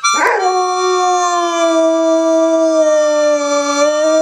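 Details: Pet dog singing along to a harmonica, holding one long steady mournful howl that dips slightly and rises again, rich in overtones, after a brief rough onset.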